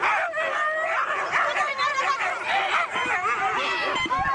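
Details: Siberian huskies at a race in East Anglia, a dense chorus of excited high yelps and wavering howl-like whines overlapping continuously, several dogs calling at once with no pause.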